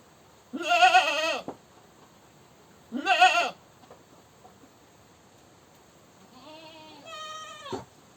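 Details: Two loud, harsh, shaky goat screams come about two seconds apart. Later a quieter, higher, wavering bleat trails off.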